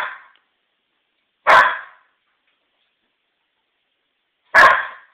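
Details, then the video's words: Protective barking by Maisie, an eight-month-old Old English Sheepdog puppy confused by lilies carried in from the backyard: two loud, abrupt barks about three seconds apart follow the tail of an earlier one, with quiet between. "Maisie [OES] barking at . . . a flower"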